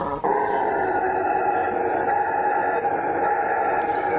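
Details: Howler monkey (bugio) roaring in a continuous, deep, droning howl that starts abruptly and holds steady and loud throughout.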